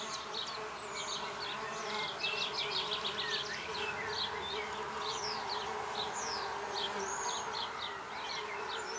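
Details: Red orchard mason bees, six females, adopting a freshly placed oak drill block in a back garden; a continuous droning buzz holds steady while bright, varied bird chirps and trills fill the air above.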